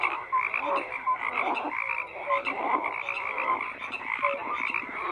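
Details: A continuous frog chorus of grating, rhythmic croaks from many callers, the loudness rising and dipping in waves, with short bright notes popping out now and then.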